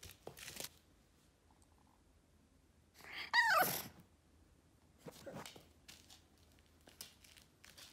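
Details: A 4-month-old Boston Terrier throwing a tantrum lets out a brief, wavering whiny yelp amid crunching and tearing noises.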